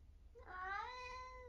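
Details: Rising at the start and then holding steady, one long clear meow comes from Eric, a chatty 11-year-old male tabby with semi-long hair who lives in Britain.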